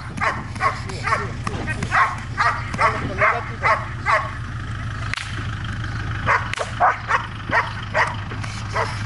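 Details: Trueno, a Belgian Malinois in training in Zumpango, State of Mexico, gives a long run of repeated barks, roughly two a second, with brief gaps and a constant low droning hum underneath.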